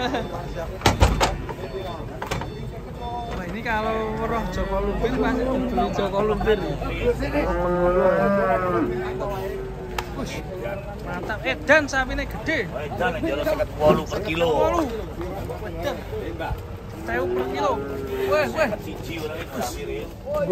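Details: Large, fat cattle coming down off a truck during unloading moo repeatedly in long, wavering low calls, with clusters around the middle and near the end. Voices of people, clanking and bumps of handling mix in.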